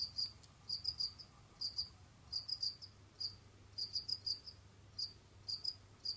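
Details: Jamaican field crickets kept in captivity as pets, moving around and hunting other insects: bright, high-pitched pulsed chirps in clusters of two to four, coming in quick uneven bursts against a quiet low background hum.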